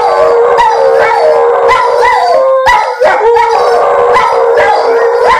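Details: Several dogs howling together as Virginia Tech scores: overlapping, steady mid-pitched howls with wavering rises and falls, sustained almost without pause, with a brief dip near three seconds.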